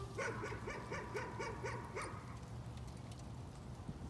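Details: Dog's nuisance barking opens straight away with about eight quick barks in two seconds, then gives way to a low hum and faint background noise for the remainder.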